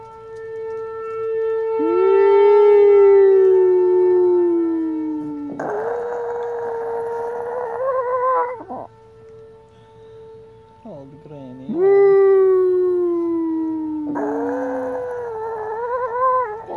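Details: An old female Chihuahua, heard howling at a siren for the first time, howls in long, drawn-out notes that slide downward, answering a steady, wavering siren.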